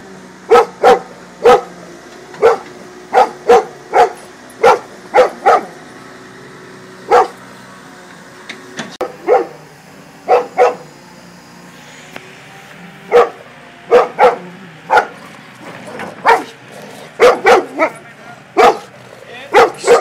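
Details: A Golden Retriever barks repeatedly in short, sharp bursts at an excavator, over a low mechanical hum.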